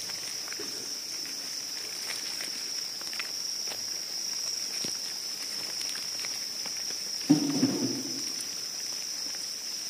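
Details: Cricket giving a constant shrill high trill that runs without a break, over soft rustles and a brief louder thump near the end.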